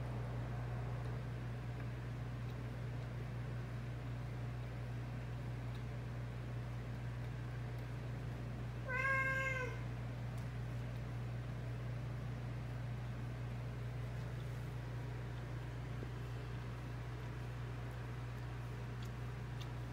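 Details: A single drawn-out meow, rich in overtones and gently falling in pitch, comes from a domestic cat in a home shared by fourteen cats and a dog. Long quiet stretches surround it, with a constant low hum throughout.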